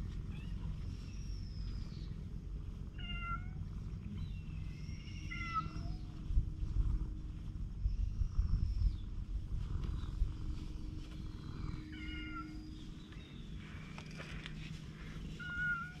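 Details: Stray cats on a cat island, approaching to be affectionate, filmed with a GoPro HERO8: several short, high meows scattered across the clip, some rising and falling, over a steady low rumble of background noise.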